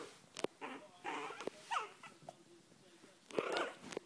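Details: Chihuahua puppies, Kennel Club registered, giving soft whining whimpers with short clicks and rustles; squeaky tonal cries rise and fall in a few bursts, the loudest near the end.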